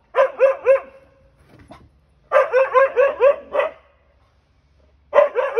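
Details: Meeting a stray cat on the back deck, Siberian Huskies give clusters of rising, sharp barks, about five per burst, separated by brief silences of over a second.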